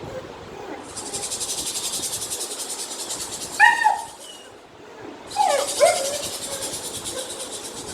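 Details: A 7-month-old female German Shepherd gives two brief, sharp alert barks a couple of seconds apart, reacting to strange sounds, over a loud, steady high-pitched hiss like insects or static.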